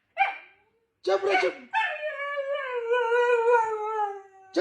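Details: Husky dog gives a short yelp and a rough, bark-like burst, then one long, sustained howl that holds an even mid pitch for nearly three seconds before breaking off. A person's voice briefly cuts in at the end.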